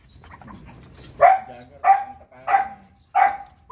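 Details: Pomeranian dog downstairs gives four short, bright barks about two-thirds of a second apart, each a clipped yap with a brief ringing tail, after a few soft whines at the start.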